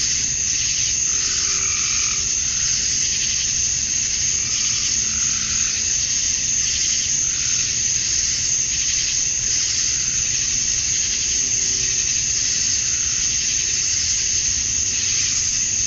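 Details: Cicadas at dusk on a summer night in Georgia, USA, males chirping to attract females: continuous shrill buzzing wall of sound, with brief softer mid-pitched warbling notes surfacing now and then over a low hum.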